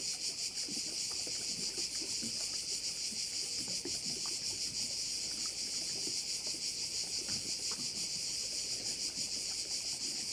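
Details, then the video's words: Crickets sounding at one of the bays of Korčula. A loud, unbroken high hiss-like buzz with quick rhythmic throbbing fills the whole recording, with light low rustling and faint lapping below. "view of one of the bays in Korcula with sounds of crickets"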